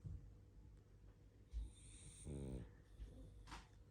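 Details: Sleeping pug named Barney snoring and snuffling indoors; one harsh buzzy rattling snore around mid-clip, with soft breathy sniffs before and after over a low steady hum.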